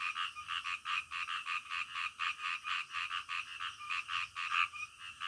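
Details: Night-time frog calls: a continuous run of harsh, pulsed croaks repeated roughly three to four times a second, even in loudness, with a faint steady high-pitched hiss in the background.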